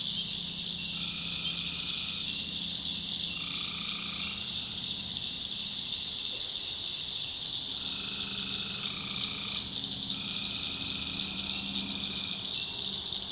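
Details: Night chorus of tree frogs in a North Carolina backwoods swamp, a constant shrill trilling wall overlaid by nasal droning notes, each lasting about a second and repeated in clusters, with low throbbing calls underneath.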